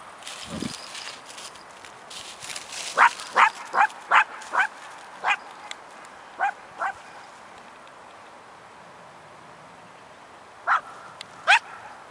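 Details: Alisa, an Icelandic Sheepdog, guarding harvested wheat fields beside her play area from birds, gives sharp barks in an irregular run, several quick ones then a pause before two more, over faint outdoor background.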